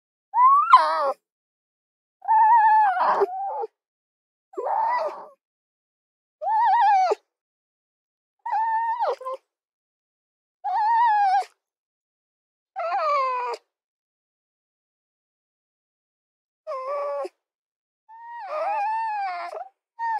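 A fox gives tonal, wavering, whine-like calls, each under a second, repeated about every two seconds.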